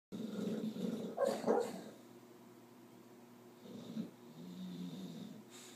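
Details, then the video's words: A sleeping bulldog snores and dreams, with low rasping snores breaking into louder snorting, growly bursts near the start, then softer rumbling breaths. "Bulldog snoring and nightmare"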